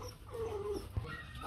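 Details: Rottweiler puppy from the Loki 2 litter, one of four pups (two males, two females) of the mother Hanna, at a kennel on choosing day, let out into the yard: a thin, steady whimper sliding slightly downward, then a soft thump and faint voices.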